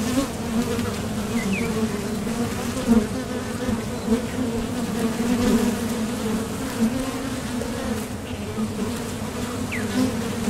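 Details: Honeybees at the entrance of a Top Bar Hive, flying off to forage for nectar and landing again. Their wingbeats make a dense, steady low hum with a few short, faint higher chirps in the background.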